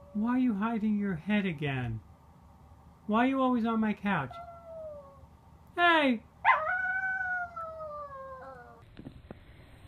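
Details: Corgi howling and yipping among home pet clips: bursts of wavering, harmonic cries in quick groups, then single sharp rising-falling yelps and a long sliding howl that tails off before a brief clatter.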